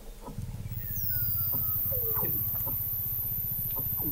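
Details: Weddell seals beneath Antarctic sea ice in McMurdo Sound, November 2017, observatory 21 m under the ice: a rapid low buzzing pulse train runs continuously, overlaid by long gliding descending whistles and brief falling chirps; a steady high electronic tone sits above.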